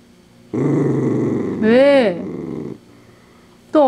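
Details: Pet dachshund crunching a handmade treat and growling, a steady low rumble that swells into a brief wavering, moaning note before fading, then a short sharp vocal burst at the close.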